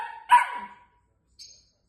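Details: Female Long-haired Miniature Dachshund puppy barking indoors, upset that her owner is not home; the end of a whine runs into one sharp yappy bark, followed by a faint high squeak.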